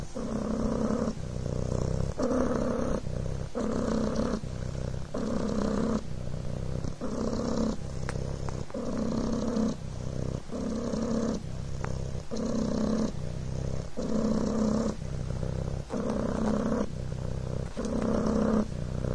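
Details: A Devon Rex kitten purring on a blanket, close up; a steady low rumbling buzz pulsing in rhythm with breathing, each phase lasting about a second, with brief gaps between inhalation and exhalation.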